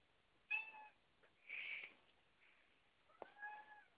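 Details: Domestic cat indoors among several cats, one jumping onto a door; two short, thin meows with a muffled scratchy noise between them, quiet against light background hiss.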